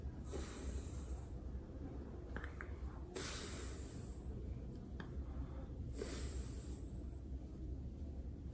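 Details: Snorting French Bulldog during a belly rub: soft steady low breathing with three distinct airy, hissing snort bursts spaced a few seconds apart, in an otherwise quiet setting.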